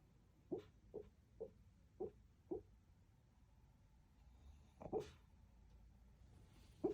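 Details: Shih Tzu dog asleep and dreaming, making snores and little whimpers: short soft snuffling snorts repeated about every half second, a pause, then two more louder snorts near the end over faint room hiss.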